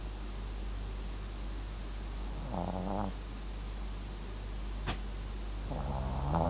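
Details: Two drawn-out, low, vibrating snores with a faint tonal buzz from MAX, a dozing Papillon crossed with Japanese Chin, separated by a quiet pause and one sharp click.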